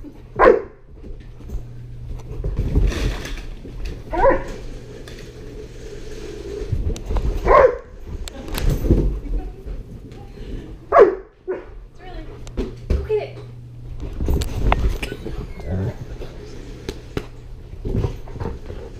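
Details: Sterling, a one-year-old Great Pyrenees Border Collie mix, at his first birthday party with balloons, recorded on a GoPro; several short, loud barks scattered through the clip, with thumps, rustling and faint human voices in between over a steady low hum.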